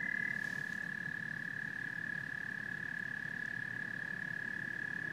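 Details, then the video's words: Frogs and toads calling together in a continuous chorus: a steady, unbroken high-pitched trilling drone runs throughout, layered over dense, rapidly pulsing low croaks, with no other clear sounds. "Frogs and Toads Symphony"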